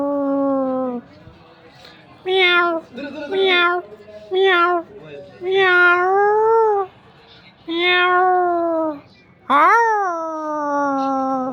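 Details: Mother cat and kitten meowing, with a series of about seven drawn-out, whiny meows, some wavering and bending in pitch. The last meow is the loudest, rising sharply and then sliding down into a long fading tail.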